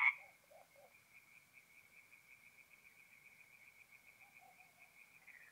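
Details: Tree frogs singing at night at a forest pond in north-east Italy in mid-April, a faint, steady pulsing trill held at one pitch from a distant chorus, with a few soft lower notes near the start.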